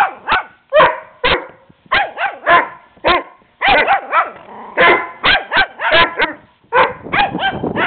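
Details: Small Shih Tzu pup named Teddy barks at the larger, playful neighbour dog: a steady stream of shrill, short yaps, often in quick doubles and triples, with brief pauses between bursts.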